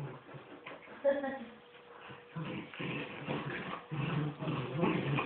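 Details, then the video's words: Miniature wirehaired dachshund mother and son in a tug-of-war game; a short whine early on, then throaty low growls that swell and fade in bursts, with a faint steady hum underneath. "Dachshund tug of war"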